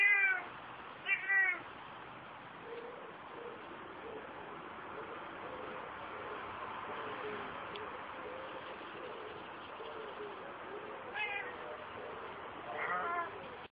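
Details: Female Ocicat Classic Kia, outdoors in a run for the first time, gives two quick meows at the start and two more near the end, with a long stretch of quieter, lower murmuring sounds in between.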